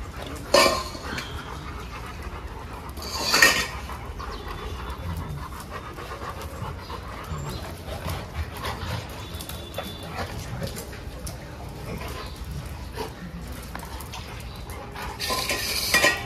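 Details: Dog at a training school, recorded 17 October 2022; steady, breathy panting runs throughout, with a few louder rushing bursts near the start and end.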